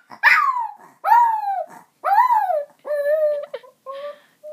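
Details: A pet dog about one and a half years old howls indoors in response to its owner calling the other dog, DJ: a series of wavering, rising-then-falling yowls with strong harmonics, five or six drawn-out notes in quick succession, like an attempt to talk.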